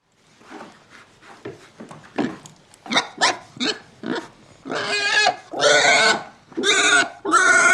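A pig gives short, rough grunts that build into loud, drawn-out, shrill squeals.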